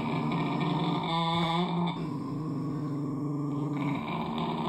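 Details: Steady, deep rumbling growl from a puppy confronting its reflection in a room in Indonesia, November 2023; the continuous low drone carries a brief higher whining rise near the start. Alfenlibe and Ody, a white and a black dog, were playing.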